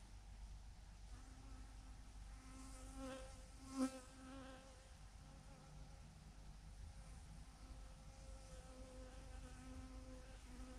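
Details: Thousands of bees hanging in a massive clump on a branch. A steady low drone of many wings hums throughout, with a louder buzz near four seconds as one bee passes close. Faint low rumble underneath.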